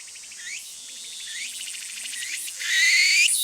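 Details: Walker's cicada, known in Japan as tsukutsuku-boshi, calling: loud shrill buzzing with repeated rising sweeping phrases roughly every second, swelling louder toward the end.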